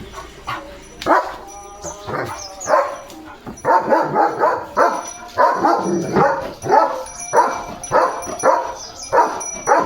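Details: A German Shepherd named Leo romps about in a morning play session, letting out loud, rough barks. They come in irregular clusters, several close together and then a pause, with a faint tone sustained in the background.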